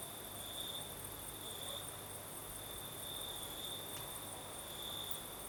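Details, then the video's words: Nighttime crickets in southern Crimea with a light breeze: a thin, steady high-pitched trill rising and falling gently in intensity, a single faint click midway, and a low background rumble. "Сверчки поют"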